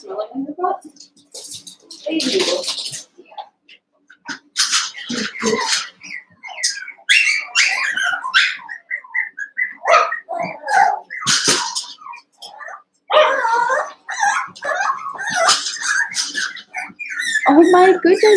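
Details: Cavalier King Charles Spaniel puppies, one month old, eight littermates wrestling and playing together in an indoor pen: dense bursts of squeaky yips, whines and little growls overlapping almost continuously, with faint human voices among them.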